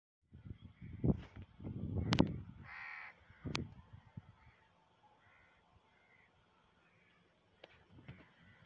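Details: Two angry camels in fighting mood in a desert area, giving low, throbbing gurgles and grunts in rough bursts over the first four seconds, with a harsh cawing bird call over them, then near quiet with a faint late rumble.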